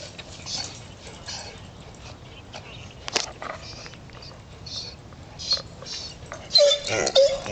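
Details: An elderly, debarked female Basset Hound–Golden Retriever mix gives hoarse, breathy, muffled barks, gasping for breath between them even when happy, a common side effect of debarking.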